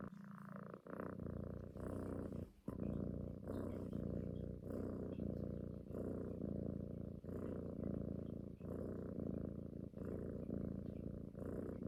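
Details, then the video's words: Domestic she-cat cuddling and nursing-style sucking on her owner's neck, purring continuously; deep, even rumble pulsing with inhale and exhale, a brief break near two and a half seconds, otherwise unbroken. "Snoring cat wants mother’s love"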